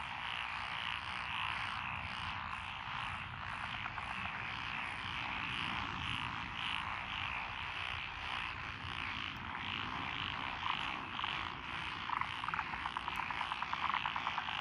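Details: Dense frog chorus from lotus rice paddies beside a country road in Echizen, Fukui, Japan, 12 June 2021, with Japanese tree frogs, Schlegel's green tree frogs and forest green tree frogs among the callers. Overlapping croaks form a steady wall of sound, with sharp clicks near the end.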